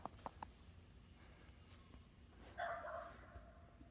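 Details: Seven-day-old Boer goat kid outdoors on a cold morning after snow, the kids hopping and playing together; a few soft taps, then one short, steady, nasal bleat lasting about half a second.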